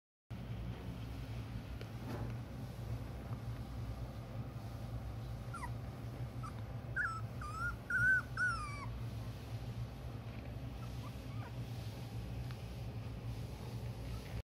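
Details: Puppy, still growing; a few soft, high whimpering whines in the middle, rising and falling in short tonal slurs, over a steady low indoor hum.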